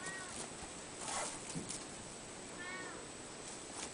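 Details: Soft meows from a Ragdoll cat of the Anon-chan siblings: a faint one at the opening and a clearer drawn-out mew later. Light rustling and brief clicks sit between them.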